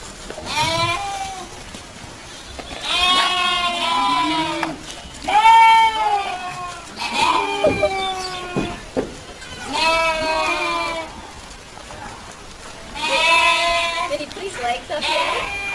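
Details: Goats giving a series of loud, quavering bleats, roughly six calls spaced one to three seconds apart, some rising then falling, with a little human speech between them.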